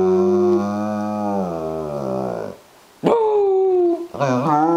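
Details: A female German Shepherd howls in long, rich, wavering tones, at first a little unwilling, then gives two shorter rising howls after a pause.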